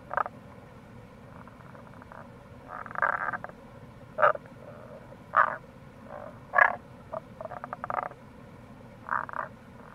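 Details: Several Tago's brown frogs (Rana tagoi) call in April beside the Kamo River gorge, Itoshima, Fukuoka, Japan: irregular punchy croaks mixed with rattling pulse trains, some overlapping, over a low continuous stream roar.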